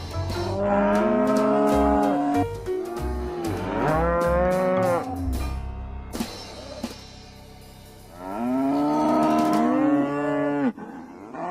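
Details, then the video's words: Oxen moo repeatedly in drawn-out, wavering calls, three main bursts separated by quieter gaps, layered over rhythmic background music. "SOM DOS BOIS"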